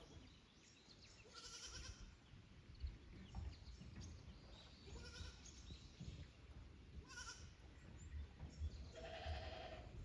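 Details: Young goats at Yoshigake goat farm in Japan, 15 May 2024, visiting an unfamiliar upper pasture from their lower one: wavering, harmonic bleats ring out about four times in ten seconds over steady low rustling and a faint high hiss.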